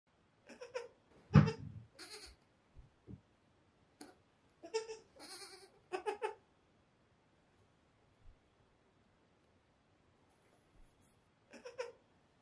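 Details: Five-day-old goat kids exploring a large bed bleat in short, nasal, wavering cries with rich overtones. Several bleats come in quick clusters, separated by quiet pauses and soft thumps of movement.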